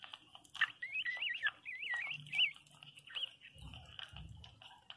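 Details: Newborn Pinscher puppy named Teco crying very loudly: high, wavering squeals that rise and fall in quick bends, one after another for about two seconds, then shorter whimpers, with soft clicks and a low rumble indoors.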